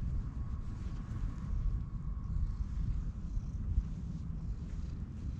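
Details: Orange tabby stray cat met in a park, purring loudly while being petted, recorded close up on a GoPro HERO8: a dense, continuous low rumble with a faint steady tone above, and no other clear sounds.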